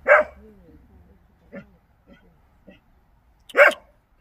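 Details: Pungsan dog, a Korean breed, on a hunt, giving two sharp, loud barks about three and a half seconds apart, with a few softer yips between them in a quiet setting.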